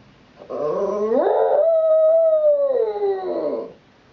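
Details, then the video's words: A 9-year-old female Shih Tzu howls while standing sentry at a front window watching passers-by on the sidewalk; one sustained tonal howl about three seconds long, rising, holding steady, then sliding down, with rich harmonics. "Shih-Tzu Missey in Howling Overdrive"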